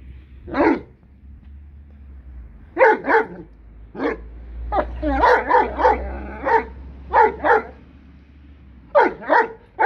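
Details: Seven-month-old blue Great Dane puppies, four females at Kennel Hradecká hvězda, barking in short bursts: single barks and doubled woofs spaced over ten seconds, with a rapid cluster in the middle and a steady low hum behind.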